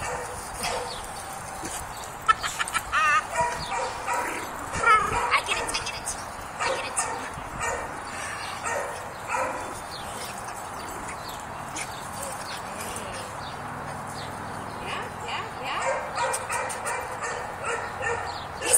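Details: Scamp, a 2-year-old neutered rough coat Jack Russell Terrier up for adoption, barks while playing tug: short sharp barks and yips in irregular bursts, loudest early and near the end, with faint music in the background.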